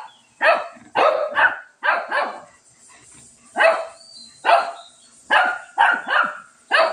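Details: Shih Tzu barking at a cat during a scuffle, with repeated short, punchy barks arriving in pairs and singles at an irregular pace over a steady faint high hum.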